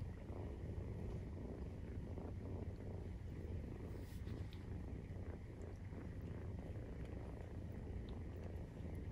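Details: Low continuous purr from Maine Coon cats at nursing time, kittens 43 days old; the rumble is steady and unbroken, with a faint background hum and light rustles.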